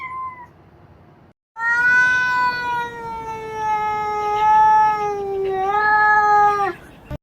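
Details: A domestic cat gives a long, drawn-out howling yowl, like grumbling, to signal discomfort or displeasure, often when extremely bored and wanting active play.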